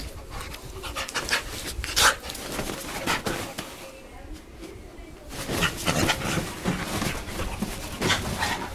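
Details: Dogs at play giving off funny noises: quick breathy panting bursts and snuffling, loudest near the start and again after a quiet stretch in the middle, with scuffling and a voice in the background.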